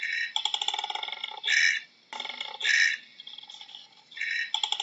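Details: Harsh koala bellow with grating, pulsed snoring phrases punctuated by two strong rasping bursts and a short silent break.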